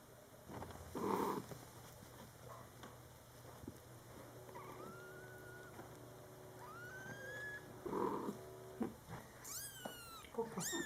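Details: Domestic cats indoors, a mother cat with her young kittens during their first month of life; high thin kitten meows with rising and falling pitch, a lower short mew near the start and another near the eighth second, a quick run of squeaks at the end.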